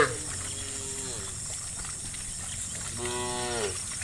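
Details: Herd of dozens of tame cows roaming slowly home to the farm along a dusty path: two separate moos, each sliding downward at the end, set against a continuous shrill background drone.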